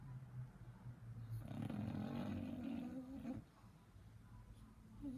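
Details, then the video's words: Little English Bulldog puppy asleep, snoring with a long, rough, low rattling inhale that swells for about two seconds before dropping away. Quiet breathing can be heard before and after it in a small indoor room. "Little bulldog snoring"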